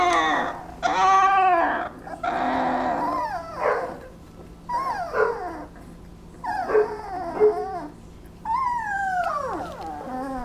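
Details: Twenty-day-old Basset Hound puppies during a nap give varied cries: wavering whimpers, short yips and a long falling howl-like whine near the end, with brief quiet gaps between bursts and a low steady hum beneath.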